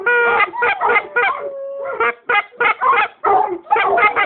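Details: Yellow Labradors howl at a goose call in broken, wavering bursts, with a brief steady tone midway, probably the goose call, and short yips and yowls overlapping throughout.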